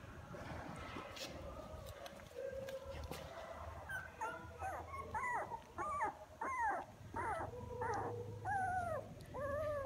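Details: Several young puppies, just beginning to walk and open their eyes, cry toward their mother with louder voices as they grow; repeated high rising-and-falling whines arrive in quick succession over a low steady background rumble.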